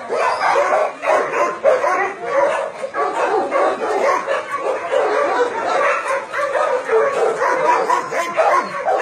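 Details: Crowded chorus of barking dogs at a Nonsan, South Korea meat farm cum puppy mill holding about 150 dogs, January 2017; harsh barks pile over one another without pause, some higher yips mixed in.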